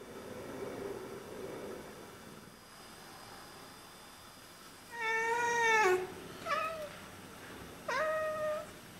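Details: Two pet Oriental Siamese cats chattering at birds indoors: after quiet, a drawn-out harmonic vocal that slides downward near six seconds, then two short chirping bursts; a person softly speaks to them.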